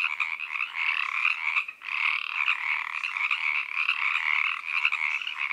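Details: Several Pacific treefrogs calling at 7 pm in Oak Park, California, recorded on an ambisonic recorder: a dense evening chorus of rapid, rattling croaks that overlap almost without a break, with a short lull near two seconds.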